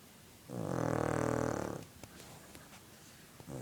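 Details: A dog snores once in its sleep, a single loud, buzzy, drawn-out snore lasting over a second, then quiet with faint clicks.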